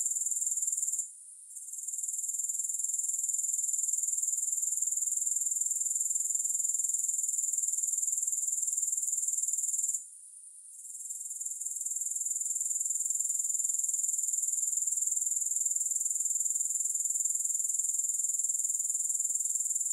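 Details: Continuous grasshopper chorus, a bright, sizzling high trill pulsing about four times per second. It cuts out briefly twice, near the start and at the midpoint, each time fading back in over a second or two.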